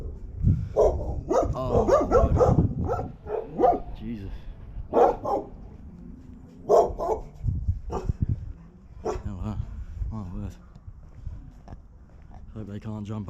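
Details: Big dogs barking at a passer-by from behind fences in the mountain town of La Floresta near Barcelona, Spain, filmed with a 360 camera: loud, deep barks come in rapid bursts, mixed with a man talking.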